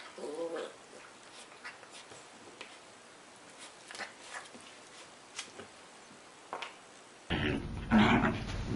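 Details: Pet Corgi caught in a silly moment indoors gives short whimpering, growly bursts near the start, then quieter rustling and handling noise before an abrupt cut to a louder burst of dog vocalising and room sound.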